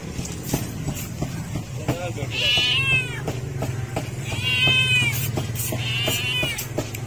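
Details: A homeless, hungry cat meowing loudly for food: three drawn-out, arched meows, each rising then falling, spaced about two seconds apart, over a steady low hum and faint background voices.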